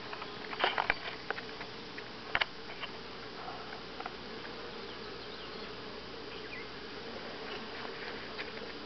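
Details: Buzzing of honey bees at Grass Lake Sanctuary on July 25 2011, week 6: an even droning hum, with a burst of crackling taps and clicks in the first three seconds before the drone carries on alone.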